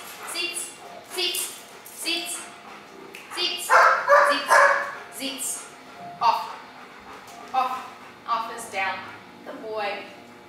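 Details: German Shepherd Dog named Argos during K9 obedience training, giving short, sharp, irregular barks and yips, several loud bursts in the middle, mixed with a woman's repeated commands and praise.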